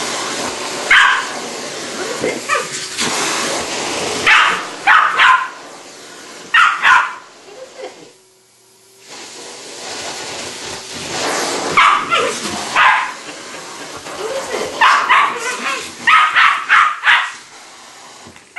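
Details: A pet West Highland White Terrier indoors reacting to a vacuum cleaner, giving bursts of sharp barks and yips in clusters, with a quiet pause midway, while a person repeatedly asks what is it.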